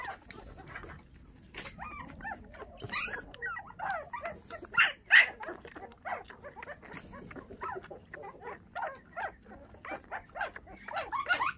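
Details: Five puppies whose mother was taken by dog thieves when they were six days old, now bottle-fed with milk; a busy tangle of overlapping thin whines and yelps with uneven rhythm, some louder squeals near the middle.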